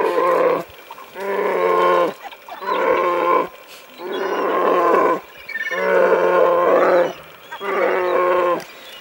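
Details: Young brown bear in Alaska, eager for a fish, repeats long, steady, nasal bawling cries about every one and a half seconds, each a rich harmonic wail, with brief quiet gaps between.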